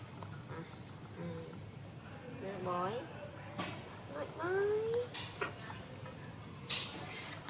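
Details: Baby monkey named Donal calling to its mother while waiting for milk: short tonal whimpers, then a clear rising squeal near the middle, with faint speech and a steady high electrical whine in the background.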